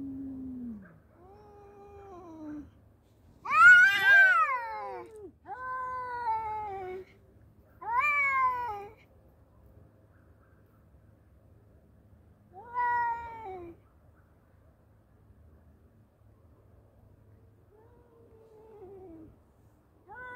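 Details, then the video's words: Two male cats squaring off, exchanging rising and falling yowls with a shrill loud outburst early on, then quieter spaced wails with long gaps over a low hum. "Battle of Two Cute Male Cats .(Cat Voice)."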